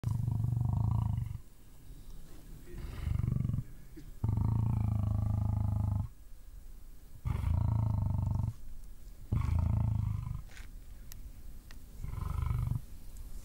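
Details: African lion in a sudden, unexpected charge; deep, rumbling roars in heavy bursts of one to two seconds, repeated with short pauses, each burst low and powerful with a hoarse upper edge.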